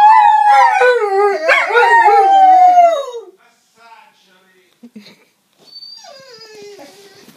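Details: German shorthaired pointers listening to recordings of their own howling; a loud drawn-out wavering howl for about three seconds, then quiet, followed by softer falling howls near the end.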